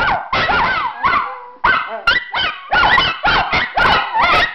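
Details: Three Miniature Schnauzers howl together at home, as they do every day, in wavering, rising and falling yowls that overlap in short bursts.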